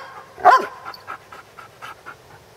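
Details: A Basset Hound at play gives one sharp, brief bark early on, then a run of quick, light panting breaths.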